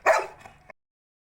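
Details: Single abrupt bark from Bruno, a Labrador, on an evening outing among birds and plants; loud harsh onset that tails off over half a second and ends with a faint short click.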